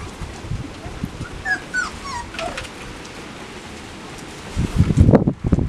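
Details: Labrador Retriever puppies in an escape-proofed run, watched by parents Max and Whitney, 10 September 2015; thin high whimpers slide up and down in a short cluster, followed by loud low thumps and rustling.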